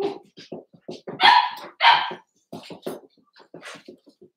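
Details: Cavalier King Charles Spaniel puppies born 06/09/2022, Ruby and Blenheim coated, recorded overnight on 8/27 by a puppy cam. Quick, soft yips patter throughout, broken by two louder, drawn-out squealing barks near the middle.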